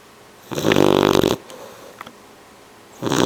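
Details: Two 12-week-old male bloodhound puppy littermates sleep, one snoring loudly in a rough, buzzy rattle, each breath a loud vibrating rasp.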